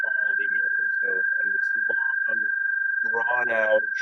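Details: A male American toad in Kentucky gives a long, steady, high trill on one even pitch, recorded on a spring or summer night; males call there from about March through July. A man talks over it. American toad.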